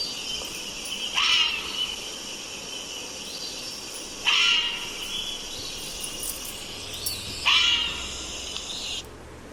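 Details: A fisher (Pekania pennanti) gives harsh, shrill screams, each about a second long, repeated every three seconds.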